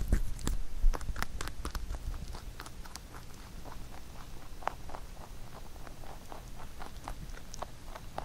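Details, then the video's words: Pet rabbit Huchu chews a carrot songpyeon prepared for Chuseok. Steady small crunches and nibbling clicks repeat at an uneven quick pace, loudest in the opening seconds and then softer. "Rabbit eating sound with Carrot SongPyeon"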